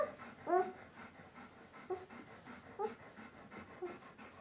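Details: Eleven-day-old White Swiss Shepherd puppies from a litter: a few short, faint whimpering squeaks with a rising-falling pitch, spaced out over soft breathing and panting.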